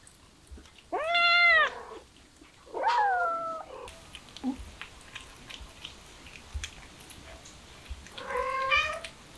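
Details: Mother street cat and her kittens: three clear meows, the first arched and strong, the second a long falling cry, and a shorter one near the end, with light tapping and rustling between them.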